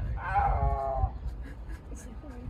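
A snow leopard lets out one strained, wailing meow, harmonic and slightly falling, held for roughly a second. Low rumbling noise runs underneath, and quiet human voices follow.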